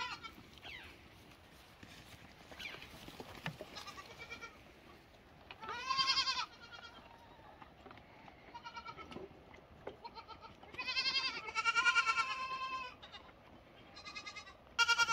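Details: Lambs bleating after a quiet start: one loud wavering bleat midway, then a longer cluster of overlapping shaky bleats and a final call at the end.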